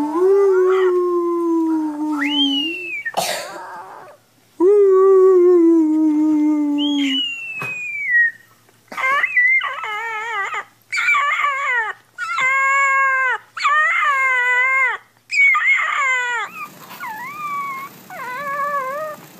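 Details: Puppies crying and howling: two long, steady, slightly falling howls, then a run of shorter wavering, bending cries in quick succession, broken by abrupt cuts between scenes.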